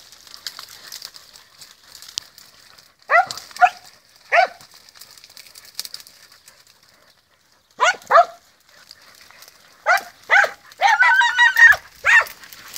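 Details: Podenco hunting dogs search the field, barking in scattered bursts: a pair of short barks, then a double bark, then a quicker cluster of yelping barks near the end, against a quiet rural background.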